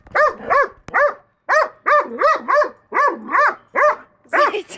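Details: A pet dog barking at a hedgehog while its owner scolds it gives quick, harmonic barks, roughly two or three per second.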